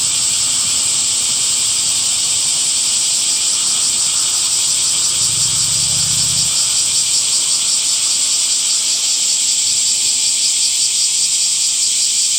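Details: In summer, cicadas fill the air with an unbroken, intense high buzz, its pulsing shimmer constant across twelve seconds; a faint low hum passes briefly in the middle.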